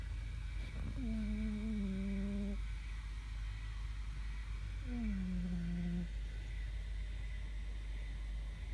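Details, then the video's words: Sleeping cat Fermat the Wonder Cat snores in whistling hums, a long level tone then a shorter falling one about three seconds later, each breath-length, over a constant low rumble of room noise. "My cat is snoring"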